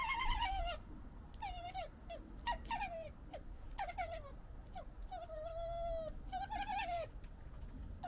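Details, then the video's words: Gekkering from a local fox family amid fighting and general disagreement: rapid bursts of high, warbling, whining chirps, stuttered and repeated several times a second, with a steady level tone near the middle, over low rumble. "Funny Fox Noises Compilation"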